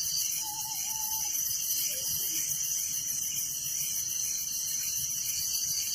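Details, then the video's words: Crickets in a village at night, their dense, even high-pitched pulsing and steady ringing tone filling the background, with a short level whistle early on and a faint sliding note after. "Relaxing Night Crickets Sound in Village"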